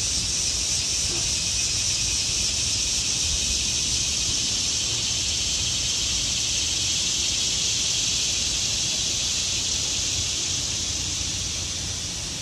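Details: Cicadas in trees in autumn fill the air with a steady, high, hissing drone that never lets up.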